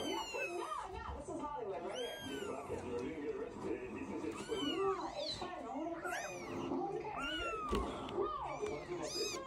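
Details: Three-week-old Scottish Fold kittens from a new litter of seven, giving many thin, high-pitched arched mews in quick overlapping succession, several callers at once, with people talking softly indoors underneath.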